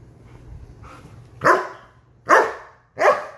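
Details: German Shepherd offered an apple or watermelon, giving three loud sharp barks about 0.8 seconds apart after a softer whine, indoors with little other noise.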